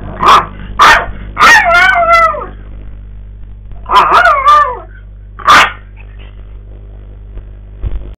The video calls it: Maltese dog howls